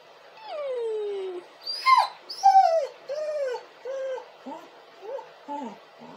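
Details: Crying, howling dog gives a long falling howl-like whine, then sharp high squeals and a string of shorter, descending whimpers that grow quieter toward the end.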